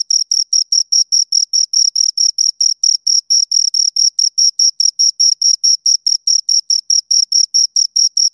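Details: Chirping from two crickets: a continuous, rapid train of shrill pulses, about four per second, with a faint higher-pitched overtone above each one and total quiet between them.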